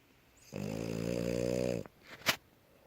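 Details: French Bulldog, tired and asleep indoors, snoring: one drawn-out, droning, harmonic snore lasting about a second and a half, followed by a few soft clicks and a short sharp noise.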